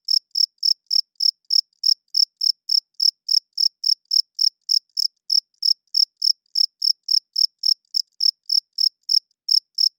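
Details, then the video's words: Crickets chirping loudly at night, a steady run of clean high chirps repeated about three times a second with even spacing, and no other sounds behind them. "Cricket Chirping Sounds - Cricket klinkt 's nachts luid"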